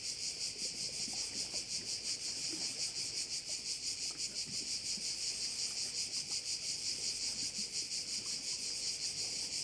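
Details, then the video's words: Crickets shrilling by a bay in Korčula, a bright, evenly pulsed high drone that never pauses, with the pulses quite regular and only faint background rustling. "view of one of the bays in Korcula with sounds of crickets"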